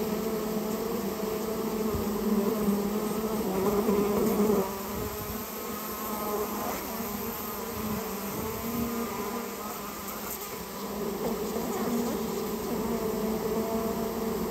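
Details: Japanese honey bee colony in a storehouse, nest being removed; sustained droning hum of many bees with banded tones, louder in the first five seconds, then slightly softer with faint clicks.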